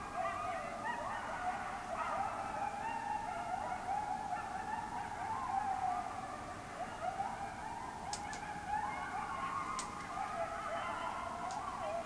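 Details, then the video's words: Coyotes running loose in a backyard, a group chorus of overlapping wavering yips and howls that rise and fall continuously throughout, with a few sharp clicks. "Coyotes going crazy"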